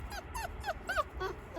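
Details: Young wolf pups among rescued wild animals, giving a quick run of short, high, descending whimpering whines, five or six in under two seconds, over low background rumble.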